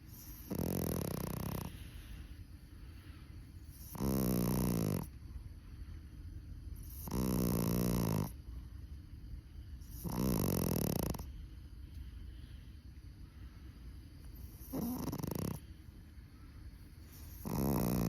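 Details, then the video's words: Chihuahua exhausted after camping, sleeping and snoring: six loud rasping snores, each close to a second long, coming roughly every three seconds over a low steady background hiss. "#치와와 #강아지 코골이"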